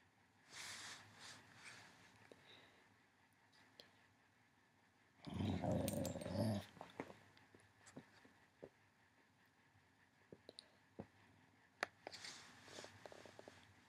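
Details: Female pet dog indoors growling at the small green light of a computer webcam; a burst of low rumbling growl for about a second, surrounded by quiet room noise and faint clicks.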